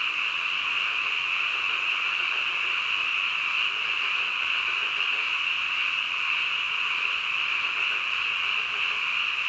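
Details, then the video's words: Frogs croaking deep in the night as a massed chorus, a constant piercing trill with no gaps or individual calls breaking out, steady volume over the whole stretch. "한밤중 개구리 울음소리"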